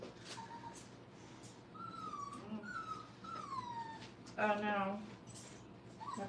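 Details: Brittany puppies, five weeks old, learning to crate train in a kennel. Thin high whines slide downward one after another, then a single louder harmonic yelp bursts out before quieter whining resumes.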